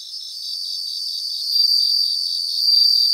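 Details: Bell crickets singing together in grassland: a steady high shimmering chorus with a rapid pulsed trill beneath, and brighter ringing tones swelling twice near the end.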